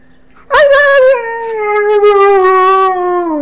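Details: Siberian Husky that loves cheese bread gives one loud drawn-out howl-like vocalisation, sharply rising at onset then slowly sliding downward over about three seconds, rich in harmonics.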